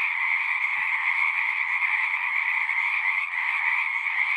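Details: Many frogs singing together in a continuous, even chorus; layered trills blend into a constant high buzzing band over a lower one, with only a faint soft tap in the background.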